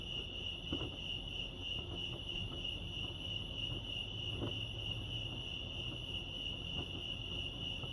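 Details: Chorus of crickets at Lake Arrowhead in California keeps up an unbroken shrill pulsed chirping, with faint low background noise and a few soft clicks.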